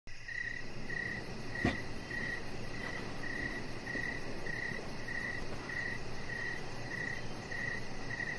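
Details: Crickets chirping outdoors in the evening beside a deck with decoration lights: a steady series of short, high, pulsed chirps about every 0.6 seconds, one sharp click partway through, and a faint, fast ticking far above over low background rumble.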